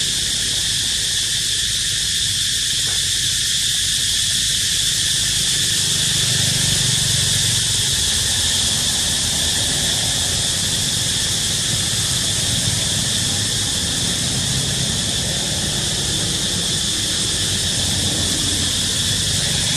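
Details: Cicadas singing in a dense, unbroken chorus, a loud high-pitched hiss-like buzz holding steady without pauses throughout, with a faint low rumble underneath.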